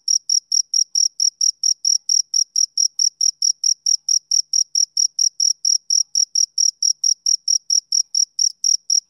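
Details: Male cricket chirping steadily, bright high-pitched pulses with a faint higher overtone, about four chirps a second in an even unbroken rhythm, no other sounds.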